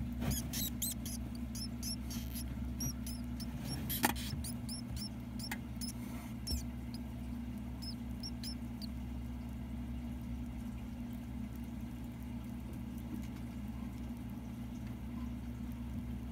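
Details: Mouse pups, ten days old, being fed by their mother; clusters of thin high squeaks crowd the first seconds, then thin out to a few isolated peeps, with a constant low hum underneath.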